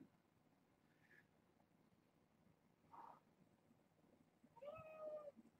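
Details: Young kitten from a family-pet litter of four females and two males, indoors: two faint short mews, then a louder tonal meow near the end, held flat and rich in overtones, with soft room noise and distant voices.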